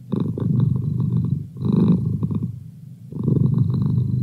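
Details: Male pet cat purring as a study companion: a deep, steady rumble that swells and fades in phases of about a second and a half, pausing briefly with each breath.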